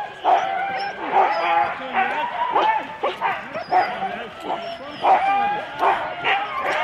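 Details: Husky sled dogs in four-dog teams at a race start, Rendlesham, January 2016, captured on analogue cassette tape: excited overlapping yips and barks in a dense chorus with short, rising harmonic calls, human voices mixed in.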